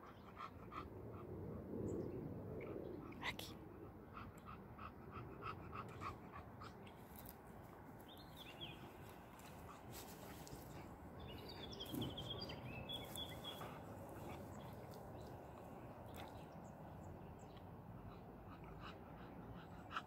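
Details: Aki, a 13-month-old Boxer puppy, exhausted after play, panting in quick, uneven breaths that repeat roughly three times a second, with faint bird chirps and a few soft spoken words in the background.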